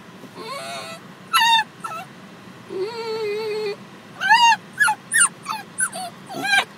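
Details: Female Basenji dog upset in a parked car after her owner leaves: a series of high whines and yelps, some rising then falling, one long level moan, irregularly spaced, with a man softly speaking.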